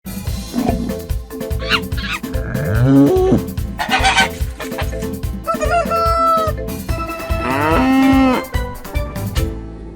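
A cow gives drawn-out, low moos that swell and fall, with a long one near the end, over steady background music.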